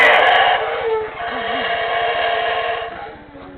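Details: Howler monkeys at Tikal, Guatemala, roused by a guide's clapping and noises, howling very loudly in a rough, squeal-like chorus that holds steady for about three seconds, then fades.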